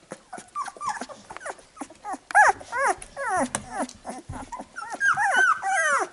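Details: Newborn Labrador Retriever puppies being cleaned by their mother after a feeding, giving a rapid jumble of arched, high whimpers and squeals, several pups calling at once, about two or three calls per second.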